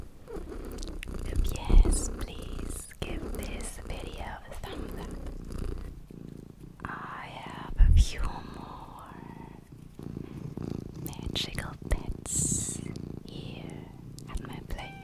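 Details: Luna, a small pet cat, purring indoors in a steady low rumble that runs through the whole stretch, with whispering, soft rustling and occasional taps and clicks layered over it.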